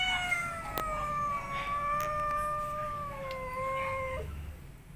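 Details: Domestic cat, angry and about to give birth, guarding a cardboard box; a drawn-out, steady, moaning yowl of about four seconds that dips slightly at the end, with a few sharp taps and faint music behind.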